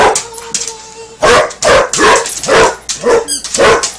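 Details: Basset hound barking while playing with a toy alligator: a few faint squeaky tones, then a run of about six loud, harsh barks spaced roughly half a second apart.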